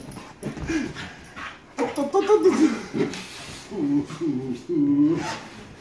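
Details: Dragutin, a Standard Schnauzer, greets his owner with joy after not seeing him for three days: excited whimpers and squeaky yelps in uneven clusters, overlapping with a person speaking.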